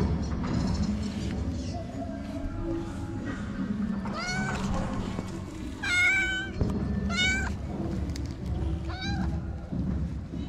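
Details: Jealous calico street cat in Morocco that doesn't want another cat to come near; four clear, loud, rising-then-falling meows about every one to two seconds over a constant low rumble.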